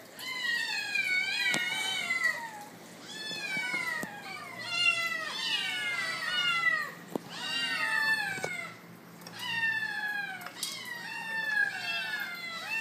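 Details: Bengal kittens aged 81 days, offered food indoors, meowing almost continuously in overlapping, rising-then-falling harmonic cries, several voices at once, with a few clicks between.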